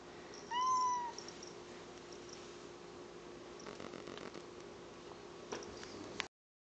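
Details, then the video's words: Domestic cat producing a bizarre dolphin-like vocalisation: one loud, clear, slightly falling chirp with bright overtones near the start. Faint scattered clicks and rustles follow over a low steady hum before the recording cuts off. "Cat speaks in dolphin clicks"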